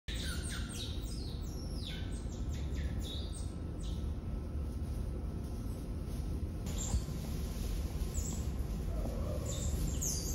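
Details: Asian small-clawed otter (Aonyx cinereus) pups, a zoo litter of six (two male, four female) born November 18, 2021, give thin, high squeaky chirps behind the scenes, each sliding downward, over a low steady rumble.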